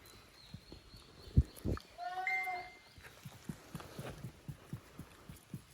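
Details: Playtime for Koharu's and Okayu's kids, two teams of young goats at a handmade farm, 13 June 2023; one brief wavering bleat sounds among thuds and footsteps.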